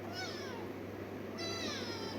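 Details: Three-legged pet cat taken to the vet after being chased by dogs, at the clinic; two high, thin wavering meows, one early and one longer after a brief gap, over a steady low electrical hum.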